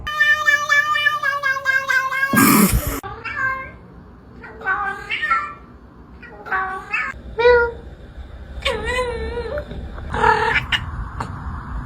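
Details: Domestic cat meowing several times, short arched and wavering meows after a long drawn-out opening cry, with a loud clatter and a person speaking in the background.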